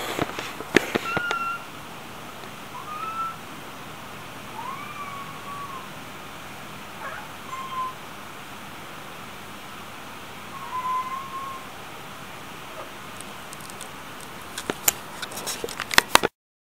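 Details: Small kittens giving a series of thin, high meows, some rising and some falling, scattered across the recording over a steady background hiss, with clicks and handling noises near the start and end.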